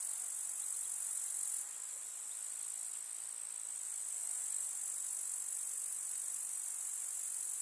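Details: Summer meadow grasshoppers in a rural setting: a steady, thin, high-pitched continuous trilling buzz, slightly softer after the opening moments, with no other clear sounds.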